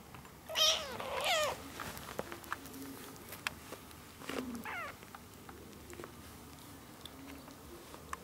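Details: One-month-old ginger kittens with their young mother, a former stray cat, indoors; two loud high harmonic meows in quick succession, a third rising-falling meow near the middle, then quieter shuffling and small clicks.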